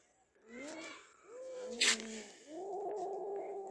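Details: Cats Kaallu and Motu with a caught big mouse; three low moaning yowls in succession, separated by brief gaps, with a sharp noisy burst between the second and third.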